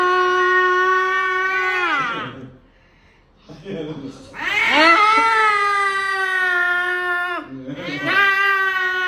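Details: Angry cat making drawn-out, moaning yowls: a long even wail that bends downward, a pause, then a louder rising-and-falling howl and a third yowl starting at the end.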